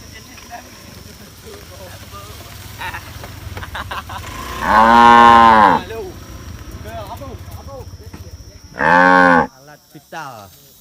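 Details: Tame cows giving two moos, a long full one at mid-clip and a shorter one after a few seconds, amid low rumbling background noise and a faint steady high tone.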